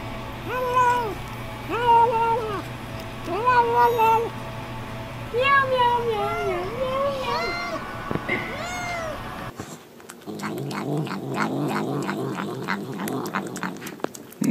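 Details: Cats vocalizing while eating, a series of short arched harmonic mews roughly every two seconds, followed by a burst of clattering and rustling noise, with a low hum throughout.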